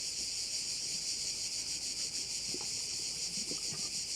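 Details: Dense insect chorus of crickets by a bay on Korčula, a steady shrill hiss throbbing in quick regular pulses, roughly three per second, over scattered soft low clicks.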